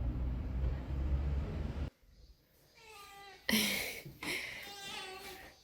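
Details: Korean cat sisters, 14-year-old striped Meke and 10-year-old black Ferry, screaming when separated for a vaccine antibody test vet visit in 2020; loud, wavering, harmonic-rich meowing cries, two drawn-out wails following a low indoor rumble.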